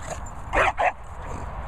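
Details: Border Terrier named Leo, stalking: two short, sharp barks in quick succession, the second slightly briefer, over a steady low background rumble.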